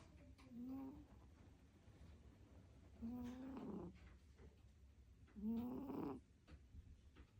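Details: Sleeping domestic cat snoring with no background music: three slow, throaty breaths roughly every two and a half seconds, each a short buzzing rumble with a slightly rising pitch, separated by quiet room hiss.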